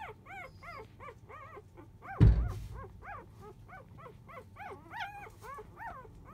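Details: Sleeping four-day-old Labrador Retriever puppies of field type keep up a series of short bent-pitch whimpers, roughly three per second, broken once by a sharp bump.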